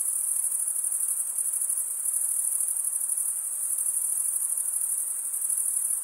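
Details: Crickets chirping by stridulation, a wing's edge rubbed along the toothed vein of the other wing: a continuous, very high-pitched shimmering trill that holds an even, steady level throughout, with no other sounds.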